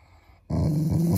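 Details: Pet Shiba Inu growling playfully to show affection toward its owners, not in anger. Near silence, then a sudden low, rumbling growl begins and holds steady and throaty for over half a second.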